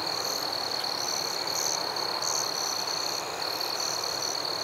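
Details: Forest crickets calling at night, a sustained high-pitched ringing trill with a few louder, sharper chirps breaking out above it, set against a gentle background hiss.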